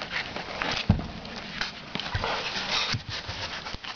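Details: Boston Terrier puppies, 15 days old, give soft whimpers and thin squeaks in short breathy bursts, mixed with faint low thumps and rustling over about four seconds.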